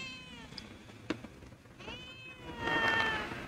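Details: A hungry homeless cat that lost its family, being helped with food: two drawn-out meows, the second louder and higher, amid a sharp click and a person calling softly nearby.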